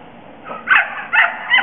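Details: Border collie Elfy du Clocher Tord, a young female of seven and a half months, at a sheepdog herding course in St-Côme-d'Olt, France, on 18 August 2009, during her first contact with ewes; three short sharp barks in quick succession.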